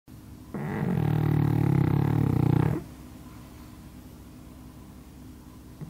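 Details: Pug asleep under a hanger rack as usual, snoring loudly: one rough, fluttering, deep snore lasting about two seconds, then a quiet room.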